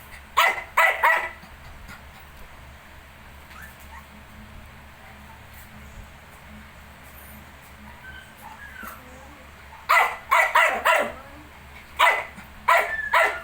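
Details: Shih Tzu and 19-day-old puppies; a burst of three barks opens, followed by a long quiet stretch with faint thin squeaks, then clustered barking returns in two bursts near the end.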